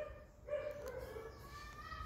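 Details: A male setter named Rudy at a summer house, whose job is barking at people and dogs, lets out one sustained, slightly falling tonal whine-bark lasting under a second, followed by a human voice.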